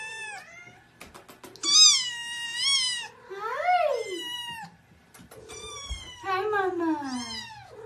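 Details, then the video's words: Seven-week-old kittens with their mother, indoors on the morning of a checkup: many overlapping high, bending mews, some sliding downward, mixed with a woman's cheerful greetings. "Cat Sounds"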